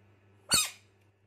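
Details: Screaming frog, one of a group described as fighters, giving a single harsh, shrill shriek of about a quarter second that drops slightly in pitch, set against a quiet indoor room hum.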